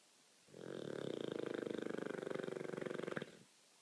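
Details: Olde English Bulldogge snoring loudly: one long rattling, vibrating breath lasting nearly three seconds, rough and buzzy, with fast regular flutter throughout.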